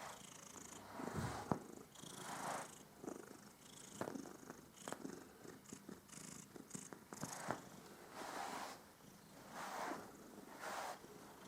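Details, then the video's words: Domestic cat enjoying being groomed, purring with a soft rhythmic rumble under rustling brush strokes and a few sharp clicks. "Katze schnurt bei der Fell Pflege"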